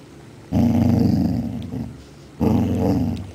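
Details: Female Basset Hound, happy at dinner time, giving two long, low rumbling growl-like vocalizations, the first about a second long and the second starting after a short pause, in a small indoor room.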